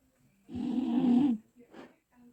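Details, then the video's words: A sleeping Bull Terrier snores: one long rasping, humming inhalation lasting about a second, then a short softer breathy snort and a faint trailing breath in an otherwise quiet room. "Как храпит бультерьер"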